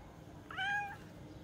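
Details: Cat giving one short, clear meow that starts with a slight upward bend and then holds level before fading, over a quiet indoor background.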